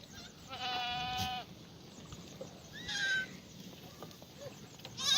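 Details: Korean farm black goats, Gimhae, South Korea, sunny Monday morning of 1 April 2019 in the goat yard; one strong quavering bleat near the start, a fainter shorter bleat follows, then a rising call at the end over low farm noise.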